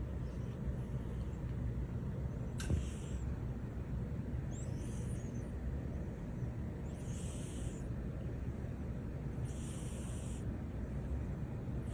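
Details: Steady low rumble like traffic fills the recording, with a sharp click near the start and several soft hissing bursts at higher pitch.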